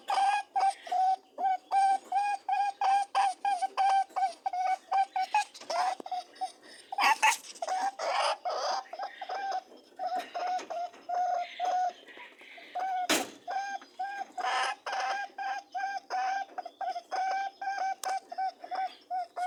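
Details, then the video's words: Mating rabbits keep up a rapid, steady stream of short buzzy humming notes at an even pitch, with a few loud rustling thumps. "Buzzing/ humming and grunting/ honking sounds of mating rabbits"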